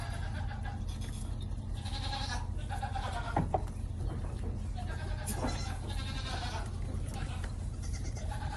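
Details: Several goat kids at a collective feeding bottle make overlapping shaky bleats, fainter and more spaced, against a persistent low background hum.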